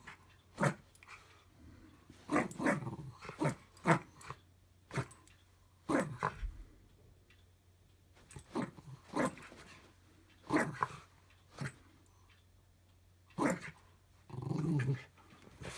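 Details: Pickle, a small pet Jack Russell Terrier, during a daily tug-of-war game indoors: short loud broadband growling bursts and sharp barks come in irregular clusters, with quiet gaps and a steady low hum underneath.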